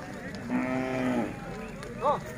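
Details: Hallikar ox, one of a pair being walked by a farmer at the Dhanagala cattle fair in Vidurashwatha. It gives a short, low, steady moo of under a second that drops at the end, followed by a brief higher squeak.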